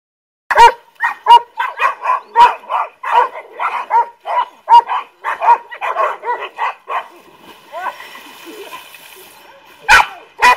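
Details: Golden Retrievers swimming and chasing their owner in Samut Songkhram, Thailand, in July; a fast run of clear, resonant barks about every half second for seven seconds, then quieter background before two final barks.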